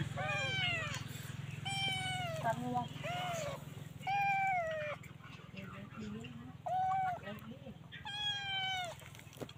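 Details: Stray kittens with their mother cat; loud, clear meows that slide downward in pitch, repeated roughly every second or two, over a steady low hum with a person speaking softly in the background.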